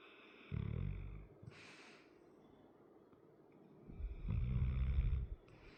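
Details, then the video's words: A sleeping 100 lb male dog with a chronic crusty nose snores indoors: two deep, rumbling low snores, one at the start and a longer, louder one near the end, separated by about three seconds of quiet breathing. "my dog snoring"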